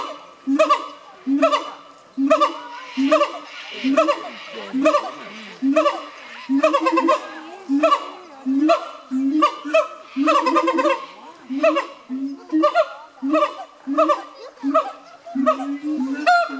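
Siamangs give loud, harmonic barks and whoops in a rapid, uneven series, roughly one burst per second.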